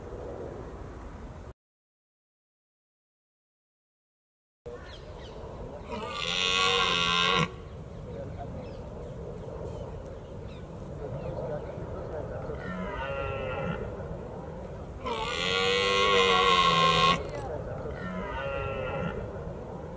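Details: Red deer stag roaring, or bolving, during the rut in Britain in early October: long, deep, harmonic bellows of about two seconds, one near the start and another near the end, with shorter, quieter roars between them over a low, rumbling outdoor background.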